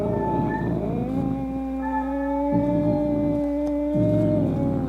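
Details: Angry cat yowling to frighten off rats, opossums and rival cats: one sustained, moaning harmonic tone that barely wavers, over a pulsing low rumble and a constant background hum.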